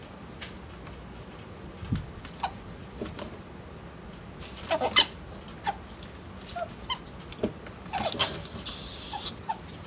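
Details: Two pet ferrets playing, Gidget a blaze female and Jinx an albino male; short scattered squeaks and clucks with sharp breathy bursts, clustered around the middle and near the end, over a quiet indoor background.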